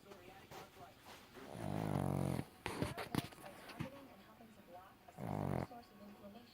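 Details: Sleeping pug snoring: two long, low, rumbling snores about three seconds apart, with clicking and rustling noises between them.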